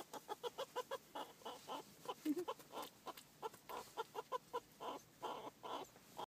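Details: A pet meerkat being tickled and cuddled by its keeper gives quick, clucking chatter in a steady run of short bursts; it lives in a group.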